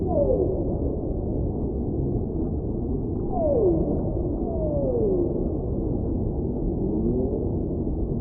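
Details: Whale song offered as soft background sound for relaxation: several drawn-out descending moans, each gliding downward for about a second, over a dense low underwater hiss.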